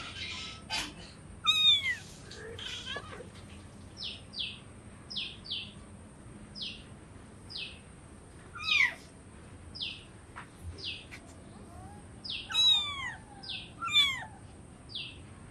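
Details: Hungry kittens meowing for food, with short descending meows recurring every few seconds alongside brief high chirping squeaks and a steady high-pitched whine in the background.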